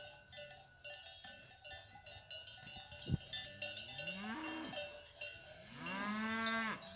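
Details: Free-ranging cattle, cows with their calves, coming down from the hills; a continuous jangle of cowbells throughout, then two rising, harmonic moos in the last three seconds, the second one long and loud.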